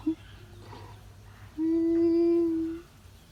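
An American bullfrog gives a single steady, open-mouthed scream lasting just over a second.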